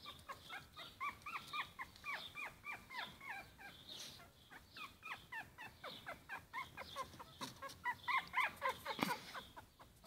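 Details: Four-week-old Yorkshire Terrier puppies give a rapid chorus of high, thin whimpers and squeaky yelps.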